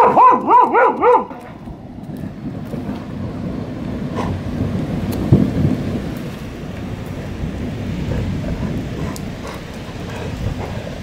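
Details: A female Border Collie named Lena barks defiantly during a thunderstorm. A quick burst of about four sharp, harmonic barks opens the clip, then gives way to heavy rain and rolling thunder.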